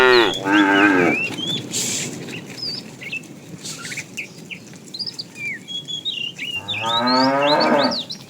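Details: Herd of tame cows roaming a road in search of food; two moos, a short one at the start and another near seven seconds, separated by busy twittering birds.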